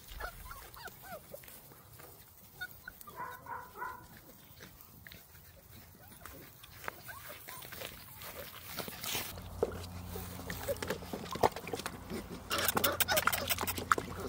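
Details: Six-week-old Labrador retriever puppies playing together outside, giving short soft yips and whimpers near the start, followed by increasingly loud rustling and scuffling as they run around.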